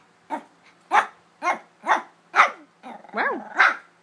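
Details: Shih Tzu puppy, three months old, giving a rapid run of shrill yapping barks about half a second apart. Near the end comes a rising-falling whiny yelp, then one more bark, all in a small room.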